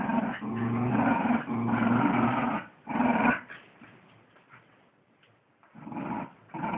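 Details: Wire Fox Terriers fighting over a sock, with loud rough growls in long bursts during the first three seconds, a quieter stretch of low grumbling, then growling building again near the end.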